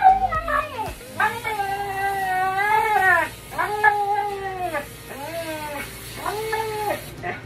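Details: A big female husky-wolf with impacted undercoat, protesting loudly while being brushed and groomed: a series of drawn-out, wavering, talking howls and yowls, rising and bending in pitch, several in a row with brief pauses, over faint background music.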